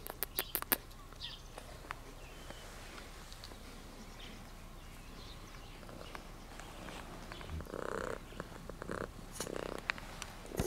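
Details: Attention-loving cat in Sardinia, nicknamed Tutti Frutti for its patterned coat, makes a few short mid-pitched meows late on, after a run of quick clicks and light outdoor noise.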